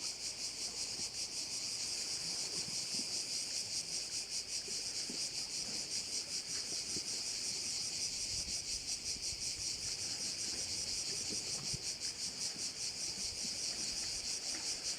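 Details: Cicadas at one of the bays of Korčula, Croatia: a dense, continuous high-pitched buzzing chorus with a rapid pulsing throb running steadily through all fifteen seconds, little else audible beneath it.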